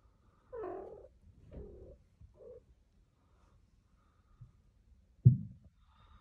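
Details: A kitten in Turkey gives three short, mid-pitched meows in quick succession, followed by quiet and a sudden loud thump near the end.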